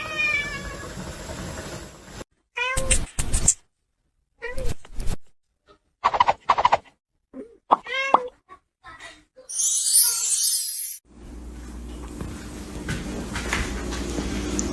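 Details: Domestic cat in a funny cat moments compilation, meowing in several short, bent, harmonic bursts through the middle, set between synth music at the start, sharp clatter, and steady background noise at the end.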